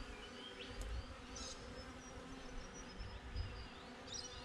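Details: Honey bees droning at their hive, GoPro placed outside: constant low buzzing hum in steady bands, faint passing whine of individual flyers, and a few sharp, high bird notes.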